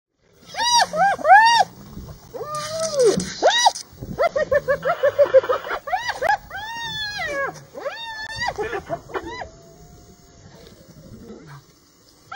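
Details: Hyena clan in the Masai Mara, Kenya, standing up to a lioness: loud, strongly harmonic arching cries come in quick bursts, some rising then falling, crowding together mid-way before thinning into quieter, fading calls.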